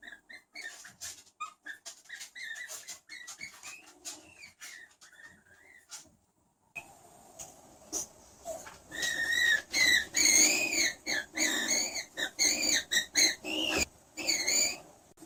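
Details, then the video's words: Skunk giving high, squeaky chirping squeals, each arching up then down with bright overtones, repeated in rapid bursts through the second half; fainter, thinner chirps and scattered clicking noises come before a short pause. "SKUNK SOUND EFFECT 스컹크 울음소리"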